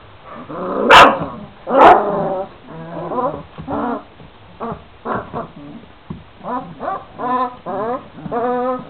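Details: Two loud, piercing yelps open this stretch from 26-day-old Šarplaninac puppies, followed by a string of shorter rising whines and squeaks repeated roughly once a second.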